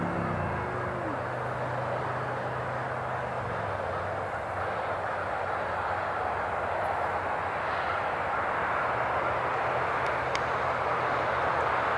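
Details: Steady broadband roar of passing traffic with a low engine hum and no animal calls.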